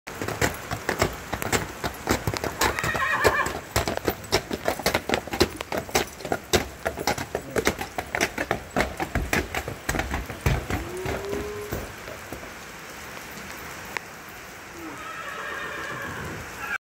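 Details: Clydesdales being driven and conditioned for an upcoming competition: steady clip-clop of hooves for the first ten seconds, then one short rising-and-falling whinny near eleven seconds, with softer neighing near the start and end.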